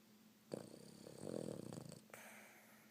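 A Boston Terrier snores with a rough, rattling breath that swells and fades.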